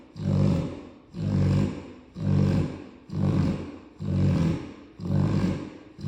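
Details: Tired Cane Corso snoring loudly, likened to a grown man: deep rumbling snores, one drawn-out breath roughly every second, six in a row, steady and evenly spaced with brief quiet gaps between.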